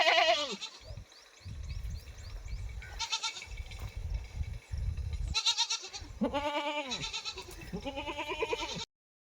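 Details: Mother goat and her kid calling back and forth, a run of loud wavering bleats, some deep and some higher, broken by short pauses, with a low rumbling background throughout.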